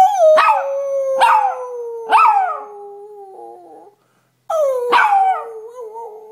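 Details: Howling with its owner, a Chihuahua mix gives three quick yipping bursts in a row over a sustained, slowly sinking tone. After a short silence it resumes with another yip and a falling howl.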